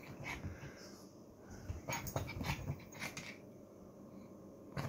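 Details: Betty, a teacup Chihuahua puppy, greeting the morning indoors with a run of short whimpering and grunting sounds, some faint yips, over steady low household hum.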